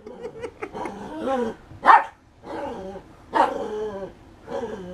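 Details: BOOMER the poodle at play with a rubber toy, March 2016: rumbling growls broken by two louder sharp barks about a second and a half apart.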